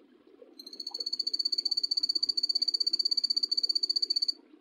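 A poison dart frog gives a high, rapid trill of evenly pulsed clicks held for several seconds.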